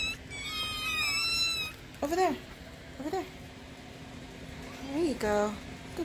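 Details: Hungry kittens at morning milk time indoors: a few high wavering meows at the start, then short soft lower chirping calls repeated about once a second, with a woman speaking nearby.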